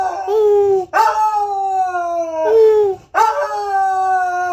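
A corgi howls in long, sustained tones that waver and slowly fall in pitch.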